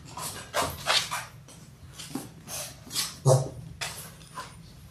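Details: Six-week-old Labrador Retriever puppies, a litter of six born January 18, 2022, on a live puppy cam on February 28, give short whimpering and yipping sounds mixed with scattered knocks and clatter indoors.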